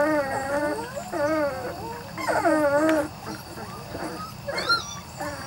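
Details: Three-to-four-week-old Weim and Vizsla cross puppies from Biscuit's litter whimper in a quick run of quavering, rising-and-falling whines during the first three seconds, followed by softer, scattered squeaks over a low hum.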